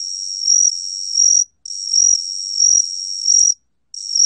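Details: Gaksi cricket (각시귀뚜라미) singing in a 2020 recording: a high, continuous shrill trill with regular pulsing swells, broken by two short silent pauses; no other sounds.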